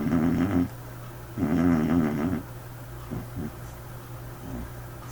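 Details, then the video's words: White dog asleep, snoring peculiarly: two loud, rough, vibrating snore bursts of about a second each, then softer snuffles and breaths over a constant low background hum. "White Dog snoring"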